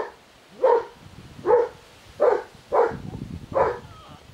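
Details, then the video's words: Ruffleups puppies born 20 March 2017 let out five short, bright yaps spaced under a second apart, each clipped and evenly loud, with a faint background hiss between them. "RUFFLEUPS PUPPIES BORN 20THMARCH 2017"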